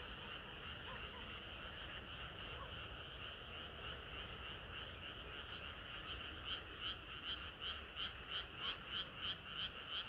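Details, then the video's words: Frogs in a hot summer night chorus; a softer, blurred murmur of calls at first, then clear pulsed croaks repeating about three times a second become prominent in the second half. "개구리들의 합창은 끝이 없어라"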